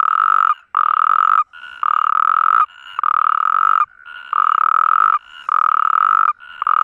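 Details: Natterjack toad mating call on the Iberian Peninsula: loud, rattling, steady-pitched trills about a second long repeat with brief gaps, while a second caller slightly higher in pitch fills the pauses.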